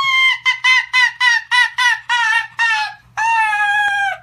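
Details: Arctic fox playing with its human friend, giving a laugh-like call: a quick series of about eight short, harsh, harmonic yelps, then one longer drawn-out cry at the end.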